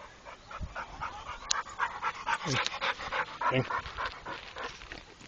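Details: Pit Bull that has been trained, heard panting hard and fast, a rhythmic string of breathy rasping puffs with a short whine-like squeak partway through.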